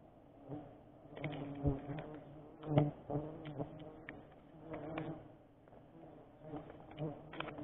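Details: Giant honey bees (Apis dorsata) during a sustainable wild honey harvest: a steady low droning hum with a buzzing swarm throughout, overlaid by irregular clicks and knocks from the harvesting work.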